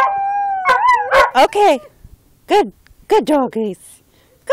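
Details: Border collies playing in a yard at home, howling: a steady wavering tone holds for about a second, then come bursts of short, sliding yelps that fall in pitch, with quiet gaps between them.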